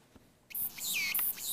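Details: Walker's cicada, mainland Korean form (differs from the Ulleungdo island form by a clumped middle section): summer mating song to attract females; after a moment of quiet, a sudden harsh, high, buzzy song with a short falling phrase within it.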